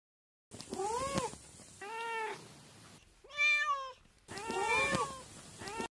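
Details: Cat giving a series of arched harmonic meows, some overlapping as if from more than one cat, with a brief high, rapid wavering cry in the middle.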